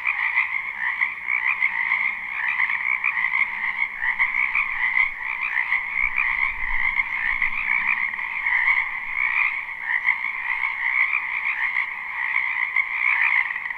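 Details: Many frogs calling at once in a wetland during spring, recorded live without looping; a steady, buzzy trilling chorus fills the whole stretch, with a faint low rumble midway.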